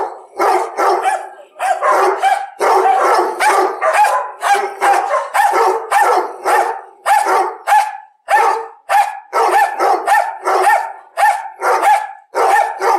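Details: Dog barking continuously for many seconds, loud rough barks tumbling in quick uneven runs, each with a ringing tonal core, near-constant with only brief pauses.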